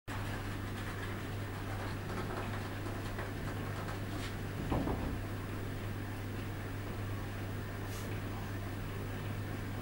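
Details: A steady low indoor hum with a soft knock near the middle and a faint hiss later; no animal voice is heard.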